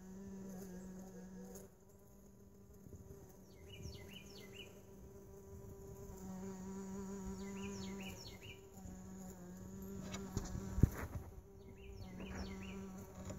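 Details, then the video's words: Buzzing of mason bees in a lawn mower bagger comes and goes in low steady bursts of a few seconds each. Clusters of high bird chirps and a sharp click near the end. "Mason Bees in lawn mower bagger"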